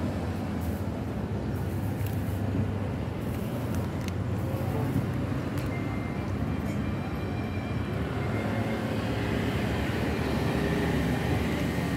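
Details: Dense, steady roar of passing traffic or a train, with muffled speech throughout and no animal calls.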